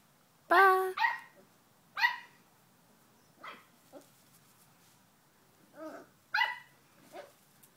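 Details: English Springer Spaniel named Buddy tormenting another dog, Ellie, in play; loud harmonic barks and yelps in short bursts, some rising then falling, spaced irregularly about a second apart with quieter whines between.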